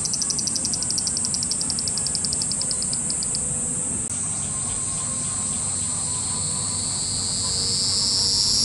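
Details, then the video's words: Cicada swarm in Japan: rapid pulsed high clicks for the first few seconds over a steady shrill buzz, then a rising whine swelling toward the end, with faint low background hum. "cicada sound Japan,cicada buzzing sound,cicada noise,cicada swarm,cicada scream"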